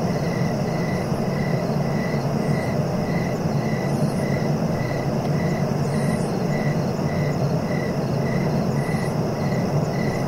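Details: Cricket chorus meant for relaxation and sleep, regular short chirps about every half second running evenly throughout, faint higher pulses overhead, and a continuous deep rumbling noise underneath.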